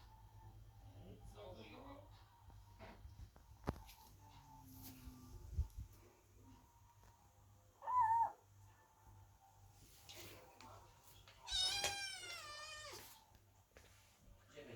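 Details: Kittens wait outside the door while the mother cat Chloe gives birth, fretting over her; after a quiet stretch with a short cry near the middle, one loud, high, wavering meow rings out near the end in a small room.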